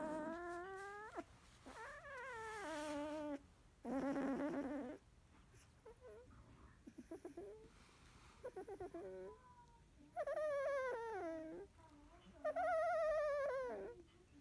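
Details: Field-line Labrador Retriever puppy, 16 days old, sleeping after nursing: loud drawn-out whines rising and falling, some wavering, alternating with short squeaks and soft rustling pauses, several long cries near the end.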